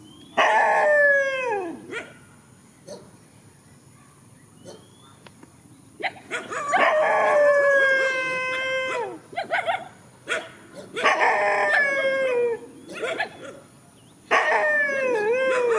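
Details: Countryside dogs facing each other in a field, giving loud drawn-out howls in three bouts, each opening on a high note and sliding downward into a wavering whine, with quiet gaps between bouts.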